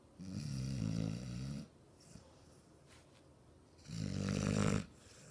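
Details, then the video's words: Ozzy, a six-month-old American Bulldog, snores deeply while asleep indoors. Two long, low, rumbling snores with a fluttering rasp, the first lasting about a second and a half, are separated by a quiet pause of roughly two seconds. "Ozzy 6 month American bulldog snoring"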